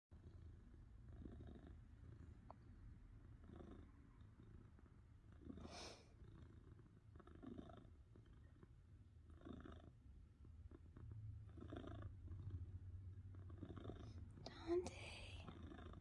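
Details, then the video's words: Pet cat purring steadily, a low continuous rumble with rhythmic pulses of breathing every second or so, plus a few soft clicks and rustles. "Cat purring"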